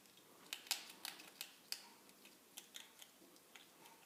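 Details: Crisp clicking and crunching from a two-year-old female ferret that has lately begun making a strange noise when eating, dense snaps early then sparser ticks.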